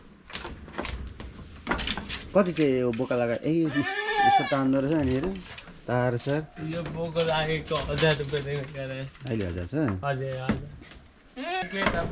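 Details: 93% Boer goat on a goat farm in Jhapa, Nepal: a wavering, quavering bleat rises out of near-constant human talking, with shorter bleat-like cries scattered throughout and people speaking over much of the recording.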